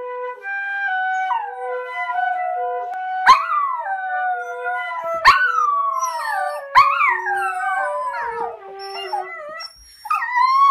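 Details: Dachshund puppies howl along to their mother playing the flute: long, wavering tones that swoop up sharply and slide slowly down, over steady flute notes.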